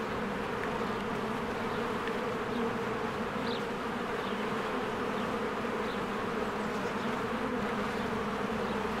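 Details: Honeybees working busily at their cozy hive in springtime, many flying in and out, captured with a Canon EOS R; a continuous, layered droning hum, with brief faint higher notes rising over it now and then.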